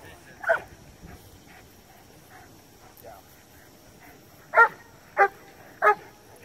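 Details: Cane Corso in PSA PDC protection training gives one sharp bark early on, then, after a pause with faint background voices, three loud, harsh barks in quick succession roughly two-thirds of a second apart.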